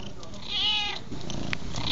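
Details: A cat gives one meow lasting about half a second. The harmonic cry rises and then falls, set against a low steady rumble and the soft pops of a crackling fire.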